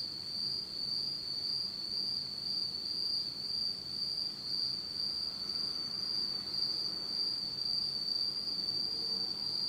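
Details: Insects singing on an autumn night in Japan in total darkness: a steady, continuous high-pitched ringing trill with a fainter higher overtone, holding unbroken throughout, over a soft low background hiss.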